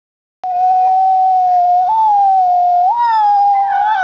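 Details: Max, a Husky mix dog, gives one long steady howl after a brief silence. The tone holds level, then steps up slightly twice, ending a little higher. No other sounds intrude.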